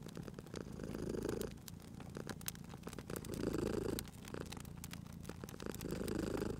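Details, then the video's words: Sleeping cat purring near a crackling fire: deep, steady rumble rising into three louder breathing swells about two and a half seconds apart, overlaid by scattered crisp crackles and pops from the fireplace. "Cute Purring Cat at a Crackling Fireplace"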